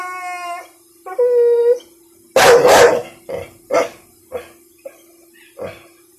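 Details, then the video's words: Frightened one-year-old female American Bully reacting to a little pink umbrella: two drawn-out whining whimpers, then a loud bark followed by a string of fading, shorter huffs and barks, over a steady hum. "Scared dog! American Bully scared of umbrella.."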